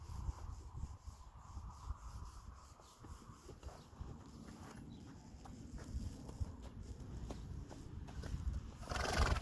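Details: Friesian horse foal in a herd, calling while its halter is taken off; a soft, drawn-out mid-pitched whinny in the first few seconds, then hoof shuffles, rustling and quiet human voices speaking Dutch.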